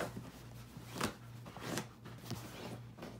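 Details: Soft slaps, rustles and shuffling indoors over a low hum, with no clear animal vocalisation.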